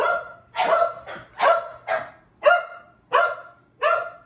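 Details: Two excited pet dogs, a Keeshond and a Boston Terrier, barking to welcome their owner home; rapid overlapping barks, roughly eight in four seconds, some shorter yips between fuller ringing barks.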